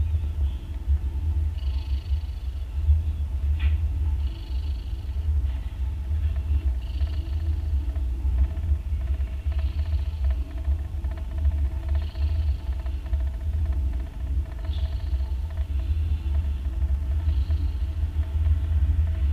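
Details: Nursing mother cat, a day after giving birth to three kittens, snores loudly as they suckle; rhythmic breathy snores repeat about every two and a half seconds over a constant low droning rumble.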